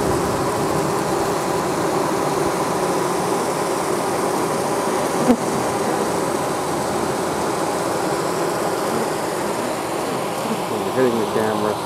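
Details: Dense, continuous buzzing of many honey bees, including stingless male drones, around their nest in a Tampa, Florida oak tree as the crowded colony readies a swarm; loud and even, with a single sharp tap midway, filmed on a Panasonic PV-GS83.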